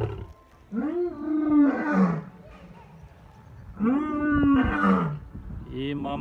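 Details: Captive lions at Taigan park, Crimea, exchanging roll-call roars after the winter season. Two long, arched, moaning calls rise and then fall, about three seconds apart, with a brief grunt at the end.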